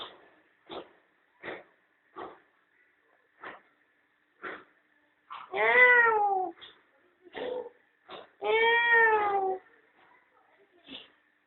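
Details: Mother cat with her playful kittens basking in the sun at home; soft short mews repeat about every second, then two long drawn meows with wavering, falling tone, one near six seconds and another near nine.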